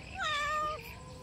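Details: Hungry house cat that nobody has fed gives a single loud meow, about half a second long, with a clear harmonic tone that holds steady and then drops at the end. A person speaks softly in Indonesian just before.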